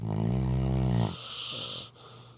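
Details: Labrador Retriever asleep, one long deep rumbling snore lasting about a second, then a softer breathy exhale, over a steady low indoor hum.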